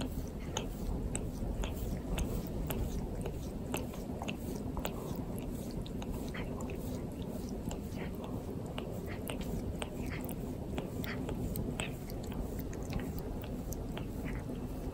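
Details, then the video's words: Pet cat Torapachi grooming its owner indoors, tongue rasping against skin: dense scratchy, crunchy licking strokes in quick uneven succession with small wet clicks, steady throughout, room quiet otherwise. "毛づくろいされました Cat keeps grooming owner"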